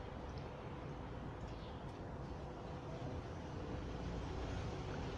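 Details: Steady low rumbling noise, like passing traffic or wind, runs throughout with no animal calls.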